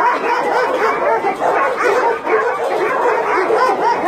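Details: Chorus of barking from a Nonsan, South Korea meat farm cum puppy mill holding about 150 dogs of breeds such as Doberman and Golden Retriever, January 2017; overlapping sharp barks and higher yips pour out continuously without pause.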